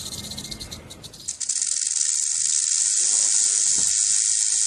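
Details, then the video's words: Rattlesnake rattle starting weak and uneven, then at about a second and a half jumping into a loud, sustained, high-pitched sizzling buzz that runs on evenly. "Rattlesnake Rattle Sound"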